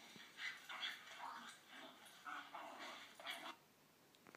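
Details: Play sounds of a female blue Staffordshire Bull Terrier playing with a canine pal, played back to her: a series of short, raspy yips and whining barks in quick bursts.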